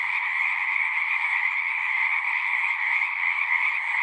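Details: Pond frogs in a horse pasture form a constant buzzing, trilled chorus in this short stretch, recorded on a Zoom 6; the massed voices blend into one even wall of sound.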